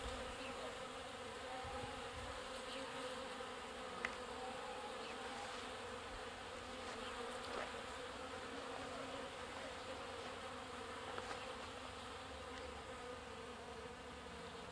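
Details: Many bees gathered at a water trough drinking and carrying water, producing a continuous humming swarm drone, even and unbroken, with occasional individual bees buzzing nearer and fading away.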